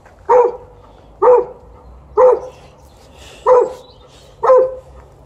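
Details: Alaskan Malamute playing tug-of-war gives five short, clipped barks at an even pace of roughly one per second, each with a clear tonal centre, against a faint steady background hum.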